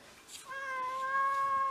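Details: House cat from a six-cat home of mixed-breed pets, filmed indoors on the first snowfall of February 2023; a steady, clear, sustained meow rises in loudness and holds a level tone for over a second.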